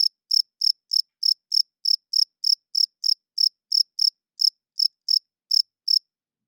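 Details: Nighttime chirping of a male cricket, produced by its wings to court females and mark territory; crisp high-pitched pulses about three per second, evenly sustained over the whole stretch, otherwise silent.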